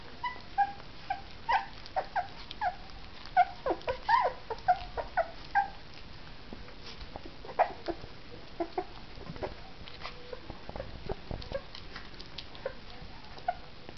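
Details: Two female puppies about three weeks old, orphaned young, eating their first meal of puppy mush: short high squeaky whimpers and yips come in quick bursts, mixed with wet smacking and lapping noises.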